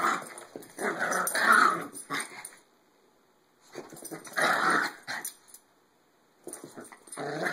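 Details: Maltese dogs play fighting indoors, giving bursts of harsh, rasping growls about a second or two long, separated by short silences, with a small room echo.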